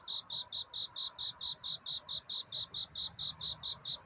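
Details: Cricket singing its nighttime love song toward dawn: clean, high-pitched chirps in a steady rhythm of about four per second against a quiet background.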